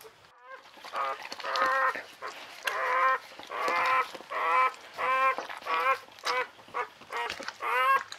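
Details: Newborn Czechoslovakian Wolfdog puppy, one of a litter of five females born 21 November 2020 to Orizon and Rahan, crying in a series of rising-falling harmonic squeals, about ten bursts in eight seconds, with a soft voice comforting it.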